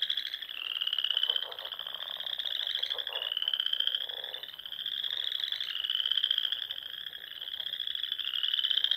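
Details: Spring frog chorus from a pond in Nebraska's Sandhills dunes at dusk: many frogs giving continuous rising, rapidly pulsed trills that overlap into a shimmering wall of sound, with loudness surging roughly every three seconds.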